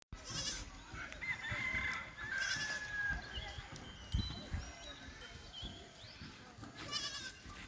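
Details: Jamunapari goats on a farm in Asansol give short, quavering, tremulous bleats near the start, around the middle and at the end, while a rooster crows in between over a steady, noisy farmyard background.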